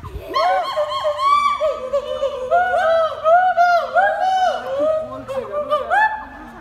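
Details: A zoo gibbon at Assam State Zoo, Guwahati, reacting to people, gives loud, ringing whoops that swoop up and down in quick, overlapping arcs.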